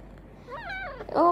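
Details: Kitten mewing indoors before going to sleep: a thin, wavering meow that rises and falls over about half a second, then a shorter, louder, sharper mew right after, in a quiet room.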